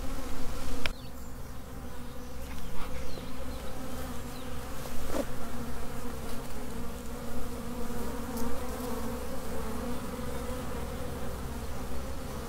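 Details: Steady low droning of a honey bee swarm, continuous layered humming with a few brief clicks and knocks scattered through the recording.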